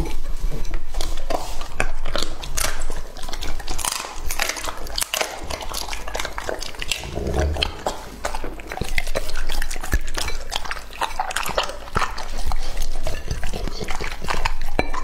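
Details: Lucky, a two-and-a-half-year-old male English-type Labrador Retriever, eats raw meat in a close-up recording. Dense wet chewing, smacking and crunching runs continuously, with quieter gaps near four and ten seconds.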